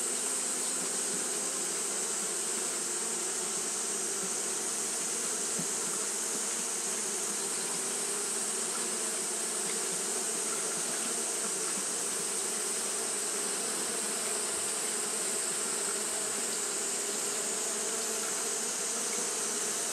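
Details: Japanese honey bees keep up fanning behaviour on a hot day. A sustained droning buzz holds the same pitch for the whole stretch, with faint flickering pulses and a constant high hiss behind it.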